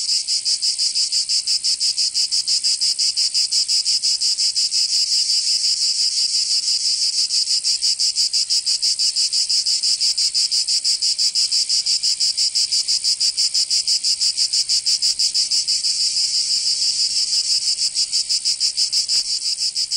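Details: Provence summer cicadas, southern France, keep up an unbroken high metallic buzzing, rapidly and regularly pulsed, loud and even from start to finish with no other sounds.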